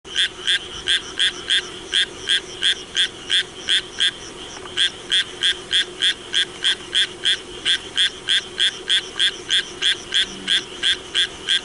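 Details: Japanese tree frog in rain, croaking in a fast, steady series of short rasping notes, about three per second, running without break for the whole stretch, with a faint low hum underneath.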